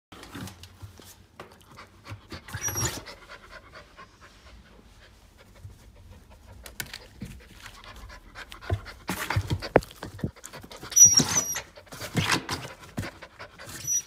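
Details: Golden Retriever panting indoors: soft breathy bursts, sparse at first, then faster, louder panting in the last third, with faint squeaky noises.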